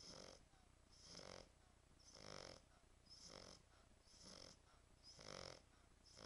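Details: French Bulldog named Tyson snoring: six rasping, breathy snores, each about half a second long, recurring roughly once per second with a bright hissing edge. No other sounds stand out.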